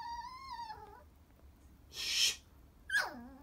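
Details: A crying Chihuahua gives a high, wavering whine that drifts downward, then a sharp yip and a falling whimpered tail, with quiet room background.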